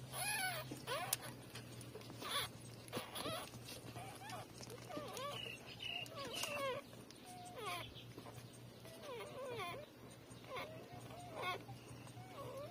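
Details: Three-day-old newborn puppies breastfeeding from their mother, giving soft, high, squeaky whimpers in short curved bursts repeated every second or so, over a steady low hum.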